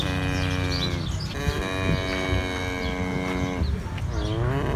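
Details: Cattle, calves and adults, mooing: a long, steady, droning moo with rich harmonics holding throughout, a slight wavering near the end, and a low rumbling background.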